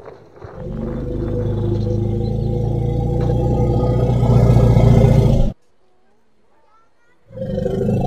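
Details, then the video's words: Young elephant playing outdoors gives a sustained low, rumbling roar of about five seconds, followed by a short silence and the start of another deep call. "A pretty baby elephant and such a defenseless hoot is not at all small"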